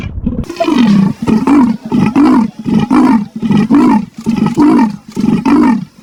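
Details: Leopard. A leopard calls with a run of hoarse, rasping grunts, like a saw drawn back and forth. The coarse bursts come a little more than once a second, with short pauses between them.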